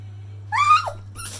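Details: Pit Bull dog "talking" back to its owner indoors after being told it already had its walk; one short, rising then falling whiny vocalization, followed by a brief noise and a steady low hum.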